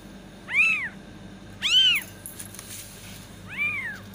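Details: Three arched kitten meows calling to attract cats, the first two loud and close together, the last softer after a pause with faint scratchy noise.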